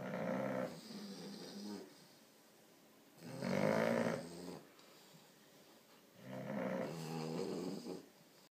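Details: A 4-month-old English bulldog puppy snores loudly, each rumbling, nasal breath coming about every three seconds, alongside an American Bulldog in a snoring contest.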